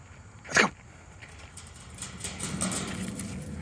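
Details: A Cairn Terrier in a park gives a single sharp, high bark against a soft background hum.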